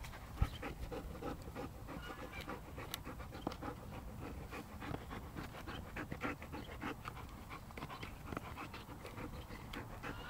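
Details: West Siberian Laika named Jeko, seven months old, panting steadily in quick rhythmic breaths, a run of short broadband puffs repeating through the recording with light outdoor background.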